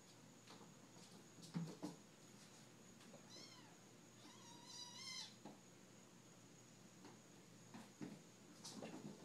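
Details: Seven-week-old kittens playing indoors, giving a few short, arched meows in a brief cluster midway, with scattered thumps and knocks from their play and a faint steady background tone.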